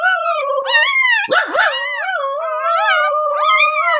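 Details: Dog howling in overlapping, sustained harmonic tones that rise and fall, with several voices apparently crossing one another, plus a brief rougher whine burst in the middle.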